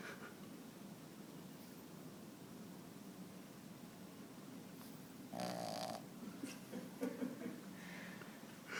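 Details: Sleeping five-month-old Boston Terrier puppy named Bruno, resting on an arm indoors, snoring a lot: a steady rasping snore through the clip, broken by a short louder nasal, tonal breath midway.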